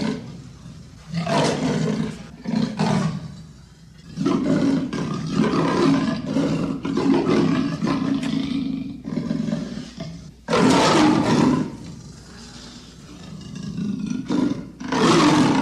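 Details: Leopard making a long run of harsh, throaty rasps and growling bursts, irregular in length, with short quiet gaps and a steady low rumble under the louder strokes.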